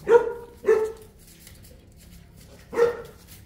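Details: Three booming barks from one of the Boerboel pair Enzo and Diva in Egypt: two in quick succession, a pause of nearly two seconds, then a third.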